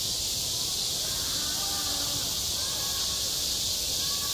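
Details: Cicadas singing on a school playground in midsummer: a dense, unbroken high-pitched buzzing chorus fills the whole clip at steady loudness, with faint low wavering tones beneath.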